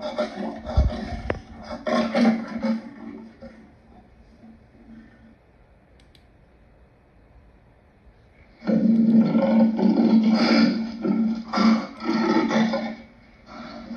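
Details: Lion producing harsh, rasping growls and roars in loud rough bursts, a quiet pause of several seconds, then a long stretch of continuous gravelly snarling.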